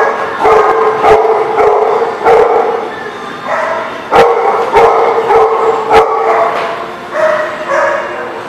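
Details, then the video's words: Barking dog recorded on May 18, 2019, giving loud, harmonic barks at an irregular pace of about a hundred per minute, grouped into short bursts separated by slight pauses. "The Barking Lot"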